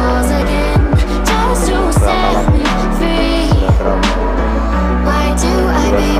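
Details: Loud electronic dance music with a thumping bass beat fills the whole recording, and no animal calls are heard.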